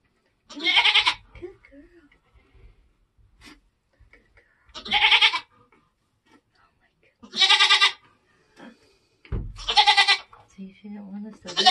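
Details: Homestead kidding season, Nigerian Dwarf goats being born: four strong, nasal, buzzy bleats spaced two to four seconds apart, with faint low background sounds between calls.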